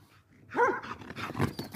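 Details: A Galgo Español named Ely, described as a vigilant guard and a strongly territorial female, lets out one sharp bark after a quiet start, followed by rustling and low noise.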